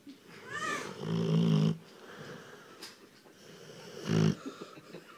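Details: A sleeping female Rottweiler snores loudly in a quiet indoor room, deep, rattling, rumbling breaths under a second long, spaced a few seconds apart, that swell and fade, with softer wheezy breathing in the gaps.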